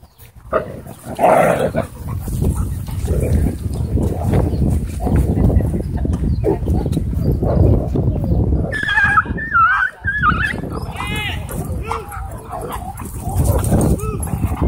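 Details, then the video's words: A husky frantically crying for help at a dog park. A low rumble of background noise gives way near the ninth second to wavering, high-pitched whining cries that rise and fall in quick loops, repeated several times. "Husky Frantically Crying For Help"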